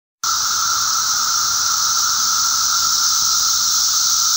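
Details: Periodical cicadas of eastern North America during a mass emergence, May 19, 2011: a dense, unbroken hissing drone with a steady high band and a lower tone, starting abruptly and holding constant throughout.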